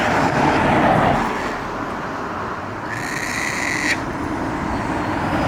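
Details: A single roadside call from a Japanese macaque, one clear, level, tonal note lasting about a second, rising out of heavy, continuous traffic noise.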